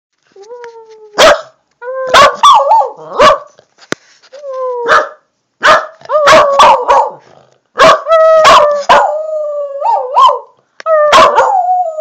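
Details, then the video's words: A female corgi howls on command, giving drawn-out, wavering howls broken by sharp yips and barks. "Corgi Howl"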